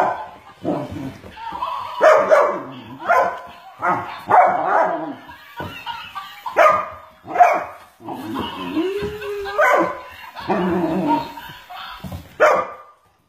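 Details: Macy the Weimaraner tussling with a toy monkey: loud, clipped barks repeated at irregular intervals, a brief squeaky rising tone midway, and a person speaking encouragement.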